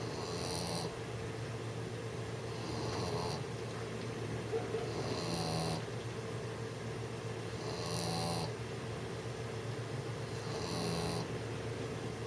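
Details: A 6-month-old English bulldog snores as it tries to sleep, each noisy, wheezy breath returning about every two and a half seconds, five in all, with a constant low hum underneath.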